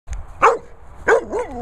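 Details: A Staffordshire Bull Terrier barks twice, each bark short and sharp, about two-thirds of a second apart. The second bark trails off into a wavering, whine-like tone.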